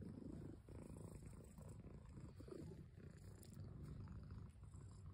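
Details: Low, grainy purring from a cat, continuous with slight swells and dips, accompanied by faint rustles and clicks.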